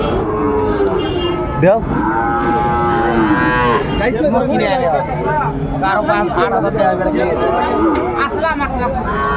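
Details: Sahiwal bull calf, about six months old, at Ambari market in Dinajpur, Bangladesh, on 28 March 2025 at the start of trading; long harmonic lowing calls, one after another, amid busy market voices.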